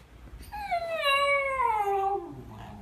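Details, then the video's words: Shiba Inu giving one long drawn-out howling whine that starts high and slides slowly downward over about two seconds, with a clear harmonic tone, ending in a low grumble. "A Shiba Sound"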